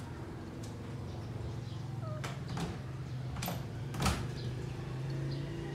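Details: Female cat purring contentedly while having her ears cleaned during grooming, before falling asleep; a steady low rumble runs throughout, broken by several sharp scraping clicks and a brief faint squeak.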